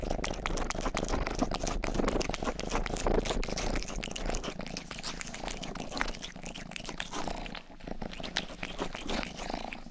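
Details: Rang-i, the household's youngest cat, grooming a binaural microphone ear up close while purring: a steady low rumble throughout, overlaid with dense rapid wet licking and rustling clicks across the spectrum, easing slightly near the end.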